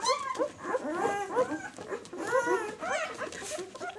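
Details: Newborn White German Shepherd pups at six days of age give soft, quavering whimpers in quick bursts, several small voices overlapping, fairly quiet and steady throughout.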